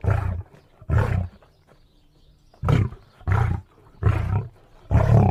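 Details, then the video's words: Lion uttering six deep, breathy grunting roars: two close together, a pause of about a second, then four more evenly spaced. "lion sounds"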